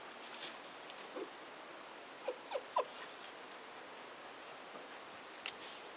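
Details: Shiba Inu puppy, 118 days old, pushing its nose through a fence on the way back from a morning walk to call its father dog in the garden beyond. Three short, high whimpering yips come in quick succession, then one faint later yip, over quiet background.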